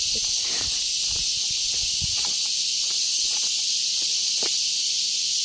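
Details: Crickets in the mountains near a church keep up a loud, continuous, shrill high-pitched drone with no breaks, with faint footsteps and handling knocks underneath.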